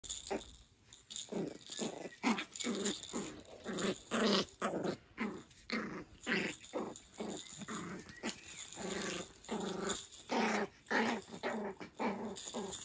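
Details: Cairn Terrier puppy play-fighting in a covered outdoor area on a rainy day: fast, rhythmic, low growls pulsing about twice a second, with a steady background hiss.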